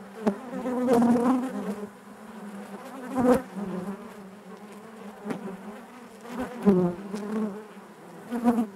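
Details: Inside a honey bee hive, a thick continuous hum of many bees, rising to loud close passes around one, three and seven seconds, then settling back into a low even drone.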